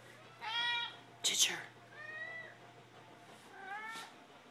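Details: Domestic cats Mittens and Ginger asking for food with several quick meows in succession, some short and some wavering, broken by a sharp clattering burst and set against a low electrical hum indoors.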